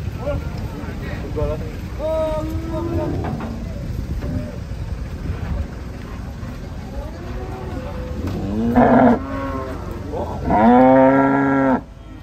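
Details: Large cattle unloaded from a truck, lowing loudly. Two strong, drawn-out moos near the end, the second lasting about a second, over murmuring voices, vehicle rumble and faint music earlier.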